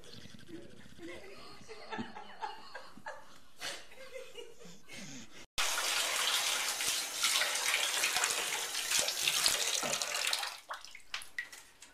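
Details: Water splashing and running like a filling bath, with human laughter and brief speech, growing loud and hissy midway.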